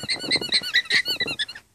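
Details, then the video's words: Female alpacas in a pasture on a morning, alarming at a fox: about eight short, squeaky, toy-like notes in quick succession over under two seconds, then silence. "Squeaking Alpacas"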